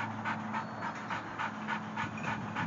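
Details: A three-year-old white Labrador Retriever, female, panting hard while playing at a dog park in San Diego; quick rhythmic huffing breaths, about four per second, steady throughout, with a low background hum.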